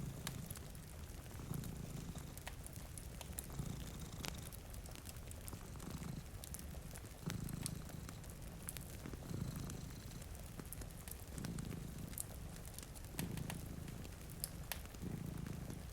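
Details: Sleeping cats in front of a rainy window keep up a continuous deep purr in rhythmic inhale and exhale swells, while frequent fire crackles and steady rainfall sound behind them.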